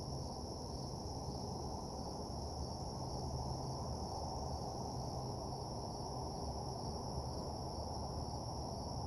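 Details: Crickets chirping at night in an empty parking lot form a seamless high, thin ringing chorus, while a heavy low rumble runs constantly underneath.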